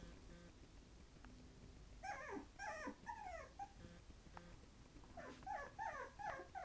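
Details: Five-week-old Havanese puppies at a potty park give two bursts of high, harmonic whines and yelps, each note sliding downward, several in quick succession around the middle and again near the end, over a quiet indoor room background.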